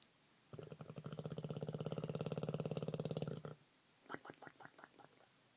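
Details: Snoring pet Olde English Bulldogge, human-like, with a deep vibrating rattle that starts abruptly and holds for about three seconds, followed by about half a dozen quick snorting puffs as the breath goes out.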